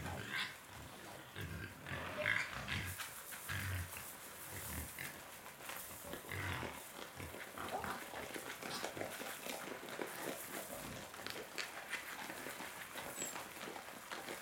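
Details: Wild pigs, always hungry, feeding on corn; a steady jumble of low grunts and snuffling chewing noises runs throughout, with a brief squeal near the start.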